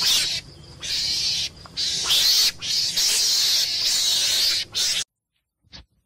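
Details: Meerkat (suricate), a small mongoose of southern Africa, screams in harsh, hissing bursts lasting a second or two, broken by brief pauses.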